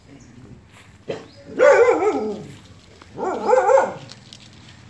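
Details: Two Dachshunds in a garden in Phuket; two drawn-out, harmonic barks about a second and a half apart follow a short sharp sound, with low background noise.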